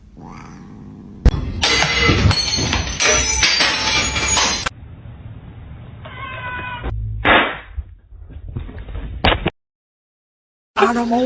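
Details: Domestic cat meowing: after a stretch of loud broadband clattering noise, short harmonic meows come in a quick cluster, followed by a brief silence and another tonal call at the end, with household sounds around.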